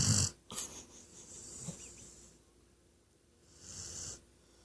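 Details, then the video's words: A female Weimaraner snores loudly during a nap, in rough, rasping breaths with a deep rattle and a hissing exhale. "My Weimaraner snoring like an old man"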